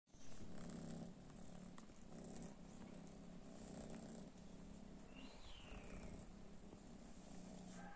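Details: Domestic cats reacting to cat weed, which they did not like; a steady low purr pulses throughout in rhythmic bursts, with faint high chirps around five seconds and a constant background hum.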